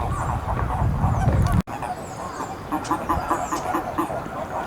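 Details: Eastern Japanese common toads, noted as endangered, at the Magatama pond of Hakodate Hachimangu shrine on 2 May 2017. A loud low rumble and a sudden cut give way to quick runs of low, pulsed croaks from several callers.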